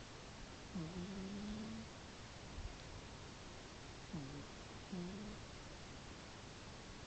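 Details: Mittens, a pet cat, snoring in its sleep indoors; two soft, low snoring breaths with a brief humming quality, separated by a few seconds of quiet room hiss.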